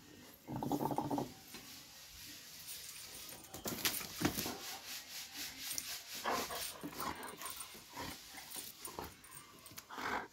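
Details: Doberman Pinscher dog giving a short, tonal whimper early on, with a brief whine near the end, over steady hissing background noise, rustling and scattered thumps.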